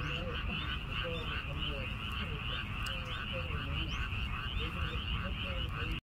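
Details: Many frogs croaking near a weekend-farm garden plot of red chicory; a continuous pulsed chorus with steady fast trills and scattered short croaks over a low rumbling background.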